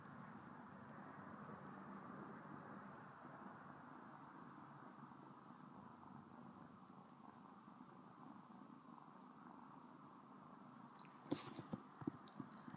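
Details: Domestic cat Sona purring steadily while licking a finger, a soft continuous rumble that runs throughout, with a cluster of crisp clicks and taps near the end.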